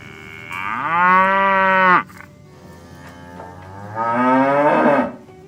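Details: Cattle driven through muddy fields to the barn. Two bellowing moos: the first is steady and sustained for about a second and a half, and the second is shorter and rougher, rising toward its end.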